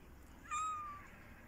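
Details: Kitten meowing for attention: a single clear, flat-pitched meow lasting about half a second, steady and slightly fading at the end, over a quiet low background hum.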